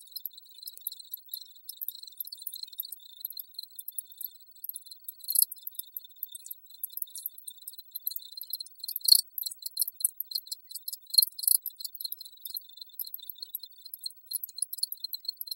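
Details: Cricket. A chorus of crickets gives high, thin, pulsing chirps that overlap into a shimmering trill. Louder bursts stand out now and then against the continuous background chirring.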